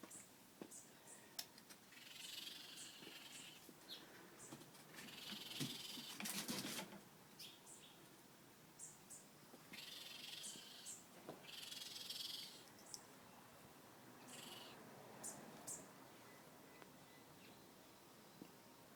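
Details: Family of newborn baby raccoons sheltering under a house deck: faint, high, hissy chittering and twittering bursts come in scattered clusters every second or two, with brief rustling thumps and a steady low background hum.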